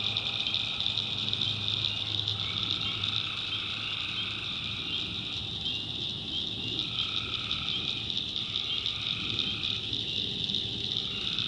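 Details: Night chorus of tree frogs in the North Carolina backwoods: a continuous high-pitched trill, with lower calling phrases that come and go every few seconds and a faint low hum beneath.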